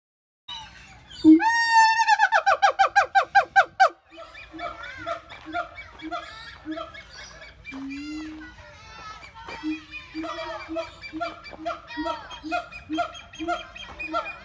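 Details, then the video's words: Siamang calling: a loud series of rising, harmonic whoops speeds up over about three seconds, then gives way to a long run of quicker, softer barks and hoots repeated roughly twice per second. "Voice of Siamang"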